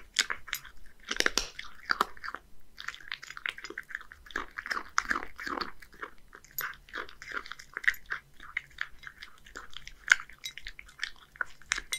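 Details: A one-year-old male Scottish Fold cat in Japan eats a mix of deboned horse mackerel and dry food indoors; crisp crunching and chewing clicks repeat rapidly throughout, with no vocal animal calls.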